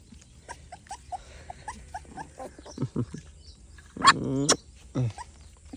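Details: Pet puppy giving a pair of loud, sharp, high yelps just past the midpoint and a shorter cry near the end, with a person calling out repeatedly in Telugu in the first half.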